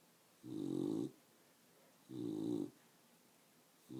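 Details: Pet dog, a female, snoring although awake; two rasping, buzzy snorts about two seconds apart, a third starting at the end, quiet room otherwise.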